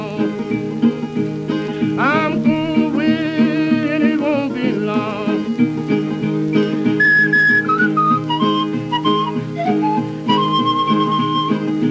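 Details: Steady strummed guitar music with a whistled melody rising and falling over it, no animal voice.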